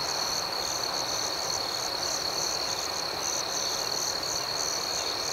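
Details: Constant high cricket trilling on a night outdoors, evenly pulsing without pause, with soft background hiss.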